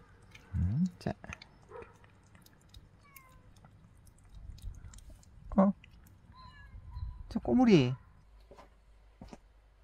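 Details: Domestic cat, said to have stopped growing for three years after being overprotected, gives three drawn-out, wavering meows near one, five and a half and seven and a half seconds, with low human speech between and faint bird chirps behind.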